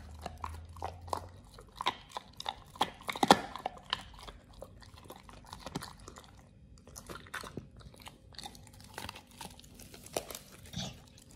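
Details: Pit Bull named Oliang chewing a raw ostrich paw for the first time, indoors: irregular wet crunches and bites at varying loudness, with a short low hum near the start and quieter gnawing in between.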